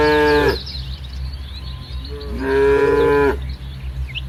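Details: Village cattle in a herd on green farmland, morning sun; two harmonic moos, a short one then a longer, steady one about a second long, over a low constant rumble.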